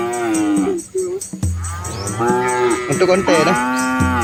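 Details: Herd of red Asian village cows crossing a small river with their calves in rural countryside; several overlapping harmonic moos, some wavering and rising, follow one another almost continuously, with a deep low call near the end.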